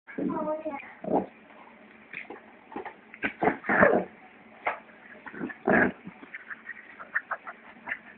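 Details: Two Shih Tzus at play: one opens with a high, wavering whine, then breaks into irregular runs of short, rough grunts and snorts with quiet gaps between them.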